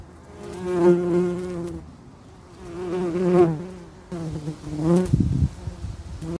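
A bee's steady, low wing buzz that swells and fades as it flies close by.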